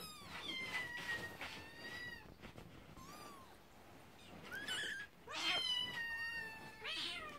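Scottish Fold kittens give high, thin meows, several overlapping in quick succession.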